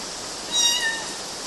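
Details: Single short high kitten meow, thin and slightly rising then falling, with a steady hiss in the background; kittens climbing on mosquito nets in Galati, Romania, June 2012.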